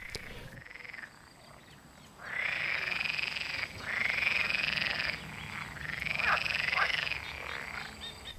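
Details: Frogs croaking everywhere in the Schollenriet wetland near Altstätten, Rhine Valley, Switzerland; a dense chorus of rapid rattling croaks in overlapping bursts lasting one to two seconds, swelling and fading, with steady high insect-like hiss behind.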